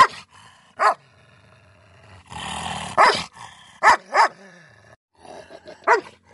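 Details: Miniature Schnauzer scrapping with a German Shepherd: sharp single and paired barks spaced irregularly, with a rough, snarling scuffle in the middle and quieter growls between.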